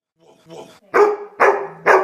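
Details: Pet dog barking: a few soft whining starts, then three loud, sharp barks about half a second apart.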